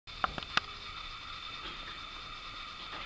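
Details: A few sharp clicks and rattles in the first second over a steady mechanical hum, with no animal voice.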